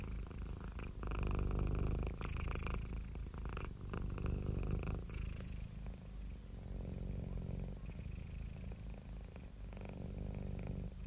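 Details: Purring cat recorded very close, a rough, breathy low rumble with rustling and contact noise over it, pulsing gently in breathing cycles throughout.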